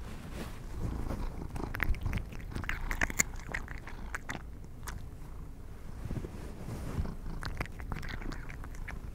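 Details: Pet cats eating treats, recorded up close for ASMR without talking; sharp crunchy clicks and crackles of chewing come in bursts over a soft low rumble.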